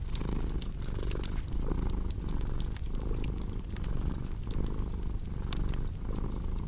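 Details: Domestic cat purring with fireplace crackle, a relaxing sleep mix: a rhythmic low rumble that breathes in and out about every second, with loud bright pops and crackles from the fire.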